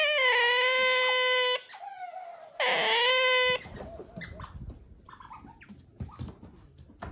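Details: Pet otters, a young male and a female, at home during a playful mounting and kissing bout: loud, drawn-out harmonic squeals in two long bursts, then softer chirps and rustling.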